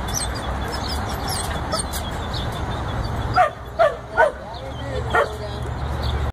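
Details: Border Collie puppy, 14 weeks old, working sheep: three quick sharp yelps close together, then one more after a short pause, against constant low background noise.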